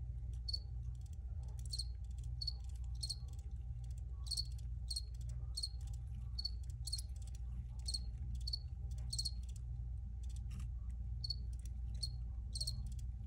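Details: Crickets giving a steady series of sharp, high chirps about every half second to second, with a low droning hum underneath.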